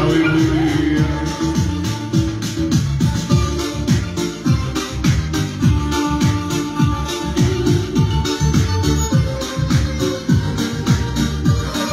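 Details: Loud electronic organ music with a steady beat and a trace of speech fills the recording, and no animal voice stands out.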